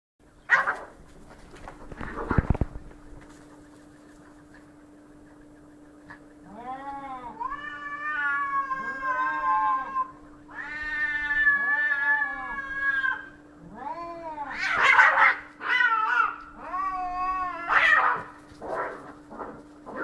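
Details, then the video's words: Cats fighting: after a couple of sharp knocks, long drawn-out yowls with rich harmonics rise and fall, growing louder and harsher toward the end, over a steady electrical hum. "Cats Fighting"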